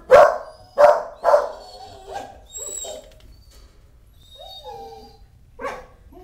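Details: Dog with her newborn pups: three loud, sharp barks in quick succession, then softer yelps and thin, high squeaking whines.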